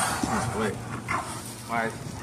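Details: Owned dogs Legend, a male XL American Bully, and Smooch, a female American Bulldog hybrid, at bite sleeve training; three brief high whining yelps at half-second spacing over steady background noise and voices.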